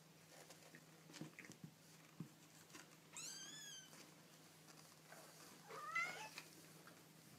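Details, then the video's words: Baby kittens giving two thin, wavering meows several seconds apart, the second shorter and sharper, over a steady low hum and scattered small knocks and rustles indoors. "Baby Kittens Making Cute Noises"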